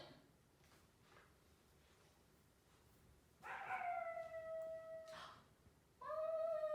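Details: Marimo, a three-month-old male Golden Retriever puppy, excited by a hair dryer for the first time, gives a long, steady, slightly falling whining howl of nearly two seconds, then starts a second one after a short pause; quiet room otherwise.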